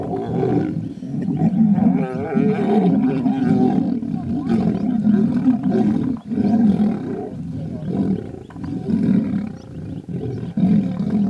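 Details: Two brother lions battling, a dense unbroken barrage of guttural roars and snarls, throaty and rasping, with brief dips in loudness around six and ten seconds.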